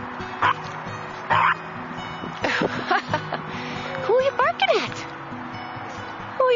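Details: A female fawn French Bulldog puppy gives a few short, sharp barks about a second apart. Music plays underneath, and a person's voice rises in sliding, questioning tones.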